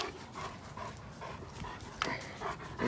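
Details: German Shepherd brothers George and Henry, working-line dogs over 90 pounds, resting during a Saturday morning walk. Soft, rhythmic panting breaths come in quick, regular bursts, with faint background noise.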